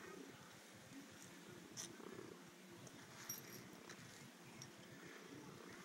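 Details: Orange tabby cat, described as overjoyed and happy, purring in a low continuous rumble with steady rhythmic pulses throughout, a few faint clicks and rustles over the top.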